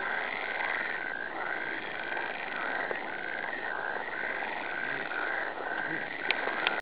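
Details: Frogs croaking in a chorus of repeated nasal notes, grouped into regular bursts every half second or so, with a few sharp clicks near the end.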